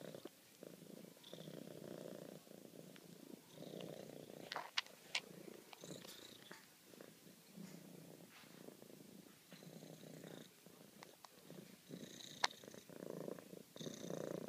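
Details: Bella Luna, a pet cat, purring while showing affection: a steady low rumbling purr, pulsing in quick regular beats through the whole stretch, with a few faint sharp clicks and rustles on top.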